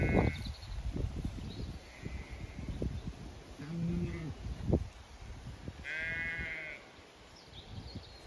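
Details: Zwartbles sheep, ewes and fast-growing lambs on a regenerative farm in County Kilkenny, Ireland, on a hot May day, some resting in shade, others grazing. Several harmonic bleats, one low and a longer loud one near the end, over steady wind rumble.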